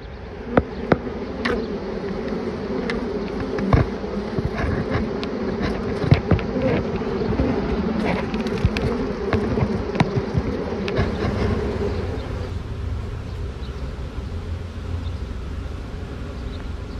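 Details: Swarm of honey bees, with two queens, marching into a box after being shaken from a tree branch. A loud, steady drone holds for about twelve seconds under scattered clicks and taps, then quiets to a softer, lower hum.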